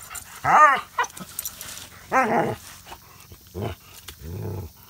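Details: Household dog, from a pair with Samson aged 5 months and Odin aged 5 years, answering 'speak' with loud harmonic barks roughly once a second, ending in a rough, low growling bark.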